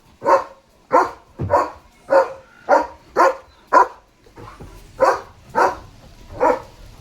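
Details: German Shepherd barking at a flock of sheep that has come to the front gate: about eleven loud barks in a steady series, roughly one every half second, with a person talking nearby.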